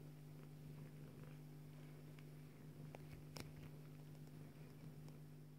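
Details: Low, even purr from a Bengal mother cat as she nurses her daughter kitten, droning without a break, with light scratches and a brief sharp click midway.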